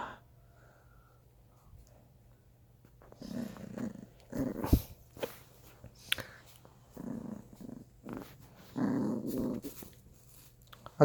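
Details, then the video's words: Bichon Frise puppy growling as its toy is taken away; low, rough growl bursts come in short spells, clearest around the middle and near the end, while a person speaks softly in Korean between them. "장난감 뺏을때 강아지 반응"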